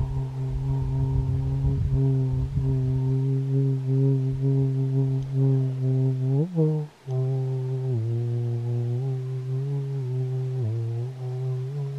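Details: A steady, low droning tone with rich overtones runs unbroken throughout, with a brief wobble and dip midway and faint rumbling at the start.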